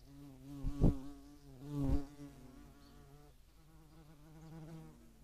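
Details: European hornets and median wasps at a feeding site, Dohr, Eifel, Germany, 11 July 2022; a steady low humming buzz runs throughout, broken by two loud thuds in the first two seconds.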